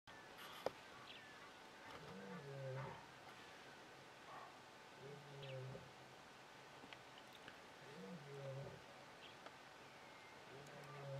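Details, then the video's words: Male lion in Hwange National Park, Detema Dam area, Zimbabwe, 20 October 2019, roaring to keep competition away. Distant, low grunting moans come about every three seconds over steady background hiss. "male lion roaring to keep the competition away"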